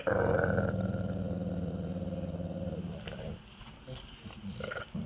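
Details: A female yellow Labrador Retriever, licking peanut butter from a jar, gives a deep, rumbling growl when a man gets too close, guarding her food.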